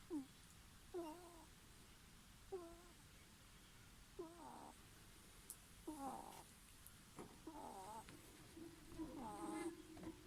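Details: A sleeping ferret snoring softly: short squeaky, whistle-like tones that slide downward, one on each breath about every one to one and a half seconds, over a faint steady background hiss.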